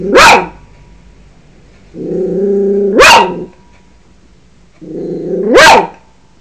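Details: Yorkshire Terrier defending its home: three loud, sharp barks about three seconds apart, each led by a low, steady growl that swells upward into the bark.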